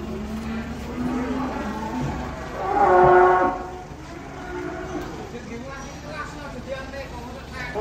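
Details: Giant cattle being unloaded from trucks: a single loud, drawn-out, tonal moo of about a second swells in the middle, with an engine-like rumble throughout and people talking before and after.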